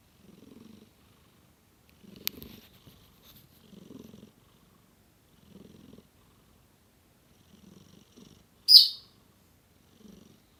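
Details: A domestic cat snoring with a purr: soft, low rumbling bursts that come in a steady rhythm about every two seconds, like slow breathing. Near the end a single sharp, high squeak cuts in briefly.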